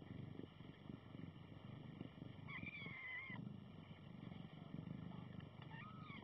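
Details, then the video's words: Seven-day-old kitten with its mother giving a thin, high squeak that bends up and down for under a second, then a shorter, lower squeak near the end; low rumbling background and a steady electrical hum. "7 Day old Kitten - Yawning and Squeeking"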